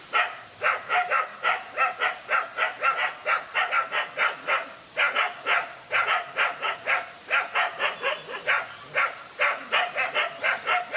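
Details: Fight pitting one dog against two male dogs: dense, irregular bursts of harsh barking, roughly four barks a second within volleys, brief pauses between them.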